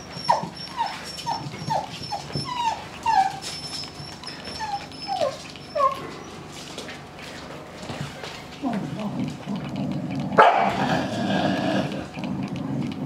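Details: Mother dog with her puppies in a cage, guarding her prey and calling them; a run of high, falling puppy whines and yelps over the first six seconds, then a louder, rough, noisy low rumble near the end.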